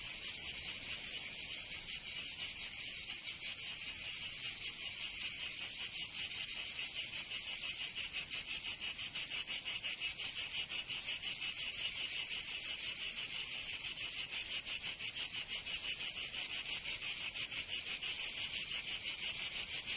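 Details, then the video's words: Cicadas singing in summer in Provence, southern France: a steady, dense, high buzzing that throbs in rapid regular pulses, about three per second, and carries on without a break for the whole stretch. No other sounds. "Canto Cigarra 🦗 [ Escuchar les cigarras en verano 10 H]"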